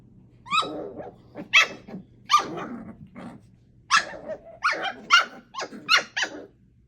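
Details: Playing 8-week-old pups Thumper, Coco, Aurora and Elvira trade loud, high-pitched barks, some rising into squeals, mixed with rough gurgling growls, about a dozen bursts at uneven spacing in a small indoor space.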